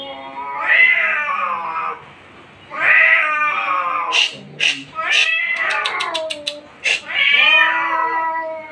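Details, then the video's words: Angry fighting cat giving long, wavering caterwauls that swell and fade, broken midway by a run of sharp clicks and short hissing spits before the wailing resumes. "Laigar in angry mood | Cat fighting seen | Angry cat"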